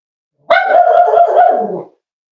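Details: Cavalier King Charles Spaniel puppy, almost 8 weeks old, at a home litter: one drawn-out, tonal, harmonic whine with a few wavering pulses, holding steady and then sagging lower before stopping, with a quiet background.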